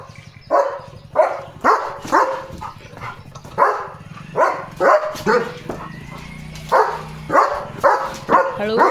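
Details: German Shepherd Leo barking at an unfamiliar bike outside the gate, which soon leaves: steady loud barks roughly twice a second over a running engine rumble, with a person speaking Marathi.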